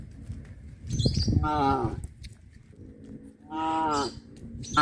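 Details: Traditional countryside cattle farming scene: two moos about two seconds apart, each a tonal bellow with a slight downward bend, the start of a third at the end, plus low thumps and scuffling.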